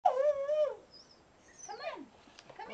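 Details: Pet dog howling along while a ukulele is played: a wavering tonal howl sliding down and levelling, then a brief rising-falling yip and short whimpers, with a person's voice encouraging it to sing.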